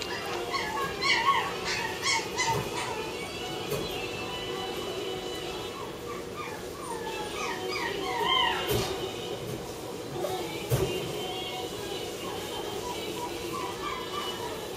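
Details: A white female Toy Poodle puppy, born 10 October 2008, gives thin, high whimpering whines in short bursts over soft background music.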